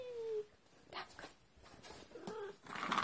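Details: Maine Coon cat indoors gives a short falling meow, then a second brief meow about two seconds later, in a quiet room with faint background noise.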